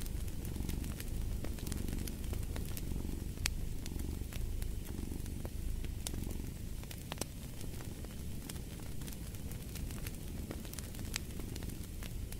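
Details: A domestic cat purring steadily, a low rumbling purr swelling in soft pulses under a minute-long rhythm of breaths, mixed with the sharp snaps and pops of a crackling fireplace.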